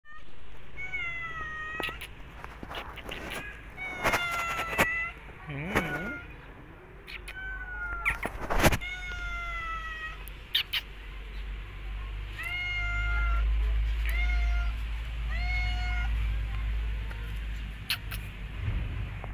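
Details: Hungry stray cat asking for food, repeating short clear meows, several falling slightly at the end, spaced every second or two, with clicks, knocks and a steady low rumble around them.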